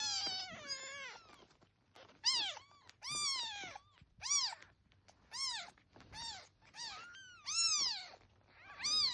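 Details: Baby kitten crying: a run of high, arching meows, each rising then falling, repeated about every second, bright and harmonic, the first few quieter and drawn out, with a faint low hum underneath.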